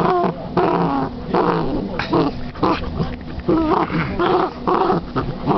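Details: A female Basset hound playing with her new toy makes throaty, rumbling growls broken by higher, moaning whines in uneven bursts.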